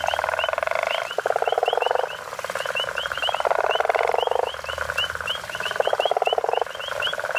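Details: Guttural toads, the African common toad, calling near Hazyview, South Africa: loud pulsed snoring trills about a second long, repeated in steady bouts, over a continuous chorus of quick high chirps.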